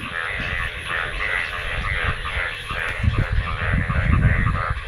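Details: Frogs calling during the monsoon rainy season in Bangladesh after rainwater collected, a dense chorus of overlapping rapid croaks and trills held steady throughout, over heavy low rumbling wind or handling noise.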